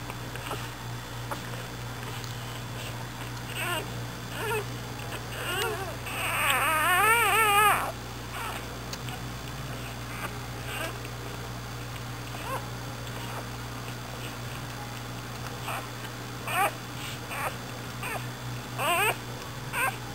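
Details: One long, loud, quavering squeal from a newborn American Bulldog pup of Dixie's nine-pup litter, delivered overnight, followed by scattered faint squeaks and whimpers against a low steady hum.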